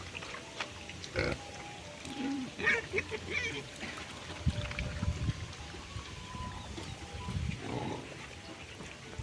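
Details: Crossbred wild boar pig on a Cambodian pig farm, giving soft, low, rumbling grunts in short bursts through the middle of the clip, with scattered clicks, rustling and faint background noise around it.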